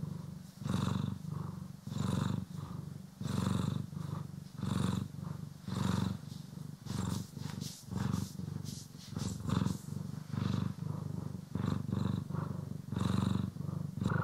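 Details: Purring cat, Poki or Kiwi, being brushed and groomed, stereo recording: a steady, deep rumbling purr swelling and easing with each breath, about once per second, with faint brushing rustle over the top.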